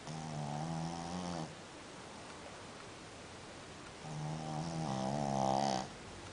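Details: Deep snoring from a sleeping dog, two drawn-out, rattling breaths about two seconds apart. The second is louder and rises in strength before cutting off.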